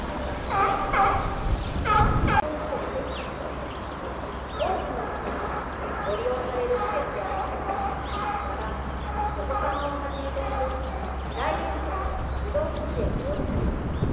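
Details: Puteri, a chimpanzee at Tennoji Zoo, screaming in December 2021 near Rickie's group. A loud harmonic outburst opens, followed by wavering, gobble-like calls that repeat irregularly, with a low hum and people talking behind.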